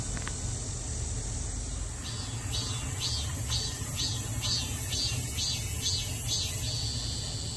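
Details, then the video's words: Cicada singing near home in Daegu, South Korea: a run of about nine pulsing, rasping bursts roughly two per second, then settling into a steady high whine, over a constant low rumble like distant traffic. "매미 소리"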